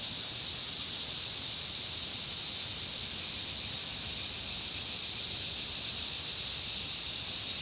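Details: Insects around a country pond: a dense, unbroken high shimmering hiss of many callers, steady throughout with a sharper thin whine laid on top and no other clear sounds.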